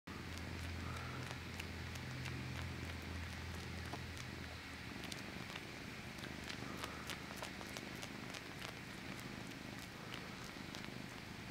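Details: A male domestic cat purring as he sucks his paw: a steady low rumble, strongest in the first four seconds, overlaid by sharp, irregular clicking and sucking noises throughout.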